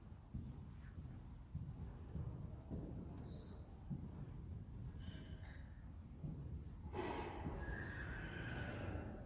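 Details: Friesian horse from a herd whinnying near the end, a sudden loud, harmonic, quavering call lasting about two seconds after a stretch of low rumbling, thuds and soft shuffling.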